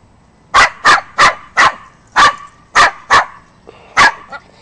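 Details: Pet Yorkie being silly, yapping a steady series of eight sharp, high barks spaced about half a second apart in a quiet room.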